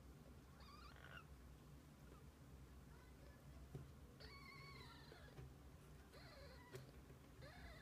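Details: Kittens with their mother cat through the day; several soft, thin meows come at intervals, some flat and some dipping, faint against a noisy low rumble with an occasional click.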